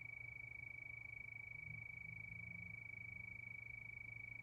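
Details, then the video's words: Crickets at night keep up a continuous shrill, quickly pulsing trill, accompanied by a noticeable low droning rumble in the background. "Sound of Crickets"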